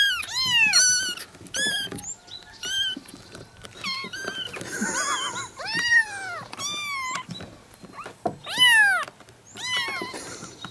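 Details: Several young kittens from two sibling mother cats calling together in a yard; a dense run of high, wavering mews follows one another almost without pause, some short and squeaky, others longer and bending downward.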